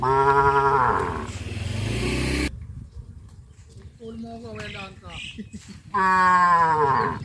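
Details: Traditional village cattle running toward green grazing fields in the morning: a loud, rich moo opens, then a quieter wavering low call, and another loud drawn-out moo closes the sequence over a constant low rumble.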